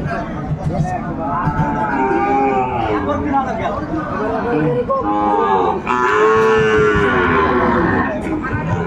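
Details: Overlapping moos from Sahiwal bull calves fill Ambari market in Dinajpur, Bangladesh, in March at Ramadan's start; several wavering calls follow one another, with a clear, rising bellow late on and human voices in the bustle.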